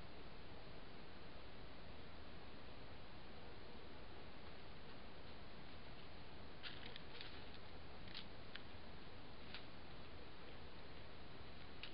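Steady low rumbling noise with a few faint rustles and clicks, and no animal call.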